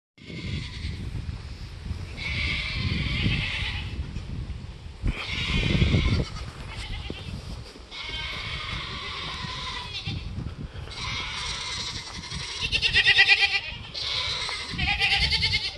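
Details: Bottle-raised young goat with her head stuck in a fence, screaming for attention while the other goats join in. Loud, harsh, harmonic bleats overlap in long bursts, with a few calmer gaps and low rumbling background noise.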